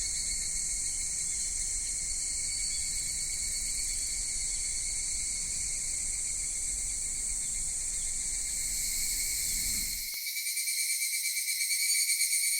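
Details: Cicadas in a Japanese summer at Kitakami's Michinoku Folk Village and Kitakami Tenshochi: an unbroken shrill buzzing drone, with low background rumble dropping away near the end as a pulsing, wavering song grows louder.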